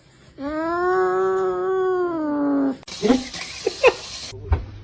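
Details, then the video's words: A cat lets out one long, steady, slightly rising yowl of about two and a half seconds, followed by rustling, bumps and a brief burst of broadband noise. "funny cats fighting"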